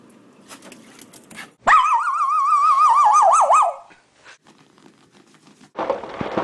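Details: Pet Schipperke Sienna, one year old, sharing a home with a Pomeranian: a sustained two-second wavering whine-howl with a pronounced vibrato that deepens toward the end, framed by faint rustling and a burst of noise afterward.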